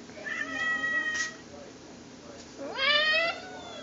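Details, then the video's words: Cat giving a mating call: a drawn-out, wavering yowl, then a second louder yowl that sweeps sharply upward and holds a bright, quivering tone, over a steady background hiss. "Mating call"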